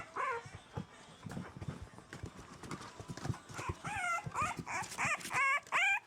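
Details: French Bulldog puppies at four weeks old, exploring apart from their mother for the first time, give a run of rising-and-falling whimpering cries that grow louder and quicker toward the end, with scrabbling and tapping beneath.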